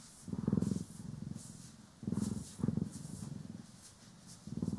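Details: Domestic cats Poki and Kiwi purring while being groomed and brushed, recorded in stereo: low rumbling purr pulses swelling and fading in bursts about every second, with faint soft brushing strokes above.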